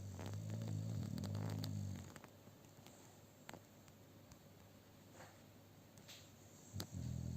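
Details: A male American Bully XL sleeps on a sofa shared with two female Staffordshire Bull Terriers, snoring in deep, rumbling bursts with quiet pauses between breaths.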